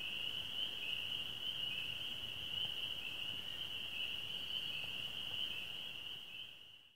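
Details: Spring peepers, swamp frogs, calling on a May evening on a rural property; many overlapping high peeps merge into one steady, shrill, ringing band that holds throughout and fades out at the very end.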